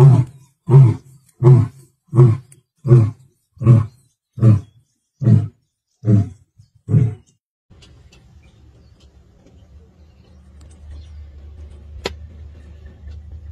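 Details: A male lion, the Oloimina Black Rock male, in the Masai Mara on 29 March 2024, gives a series of deep, grunting roars, evenly spaced and fading into quiet.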